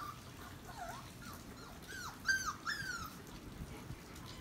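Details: Puppies from one litter playing with a German Shepherd; a series of thin, high whining whimpers with bending, falling and rising pitch, a few quick overlapping cries near the middle, over quiet indoor background.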